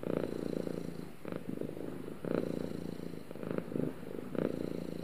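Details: Two house cats purring simultaneously, a dense low vibrating purr with rhythmic breaths roughly every second, steady and close, nothing else audible.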